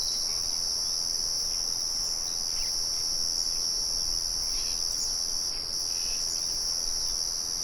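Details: A nature recording of crickets holding an unbroken shrill trill throughout. Brief faint bird notes sound underneath, and the low murmur of a mill runs in the background.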